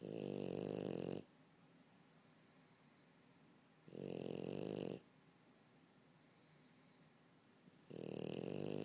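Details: French Bulldog sleeping on the couch, snoring in loud rasping, buzzy breaths about a second long, repeated roughly every three seconds, with quiet pauses between them.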